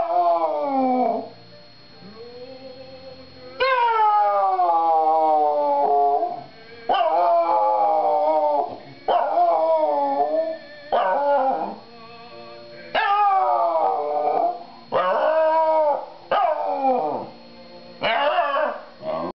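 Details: Indoor dog singing along with televised opera on Christmas Day 2009; drawn-out quavering howls that rise and sag in pitch, repeated after short pauses, over operatic music and a constant faint high hum.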